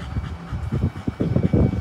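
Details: German Shepherd, working line, panting in quick low rhythmic puffs, several bursts per second, growing louder toward the end; a person nearby gives commands such as stop, no and down.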